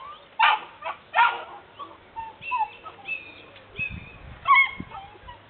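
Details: Pyrenean Mountain Dog puppies, Patou breed, from a 2011 kennel litter, uttering sharp yelps followed by high drawn-out whines and squeals, several pups overlapping, with a few soft bumps.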